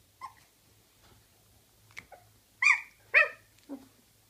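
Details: Gryzia's puppies indoors, giving a few squeaky yips, then two loud, high whining yelps with ringing overtones and a softer, lower whimper; a faint low hum runs underneath.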